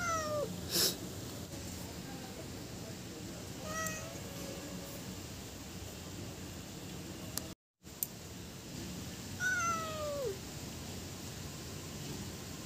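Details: Cats and kittens meowing to attract other cats: a few short falling meows scattered across the stretch, one near the start, a faint one mid-way and a clearer descending meow later, with clicks, a brief dropout and low background noise.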